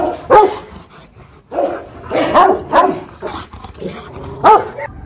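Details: Aggressive Rottweiler, kennel dog in Hanoi, Vietnam, uttering a few deep, gruff barks mixed with rough, growly woofs, spaced irregularly with short pauses and a final loud bark.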